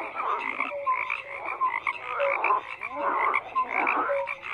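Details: Croaking frogs in a crowded chorus: rasping calls overlap in uneven surges more than once a second, with small tonal peeps and a few quick rising notes over the mass of sound.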